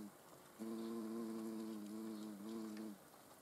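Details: Short pass of a hornet in the Eifel: a low, even buzz starts suddenly, holds for over two seconds with a small wobble near the end, then stops.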